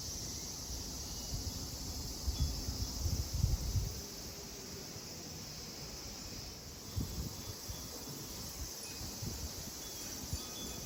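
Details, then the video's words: Cicadas sing at a Buddhist temple, Kozoji (Takakura Kannon), in Kisarazu, Chiba, Japan: an unbroken high whirring band, with bursts of low rustling and knocking around the middle and later. "JAPAN TEMPLE & CICADAS SOUND"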